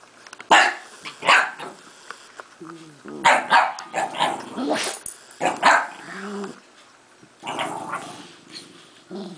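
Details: Jack Russell Terriers, older dogs meeting a new 5-month-old pup indoors: sharp, loud barks in bursts, mixed with low growling and whiny yelps, a person talking between them.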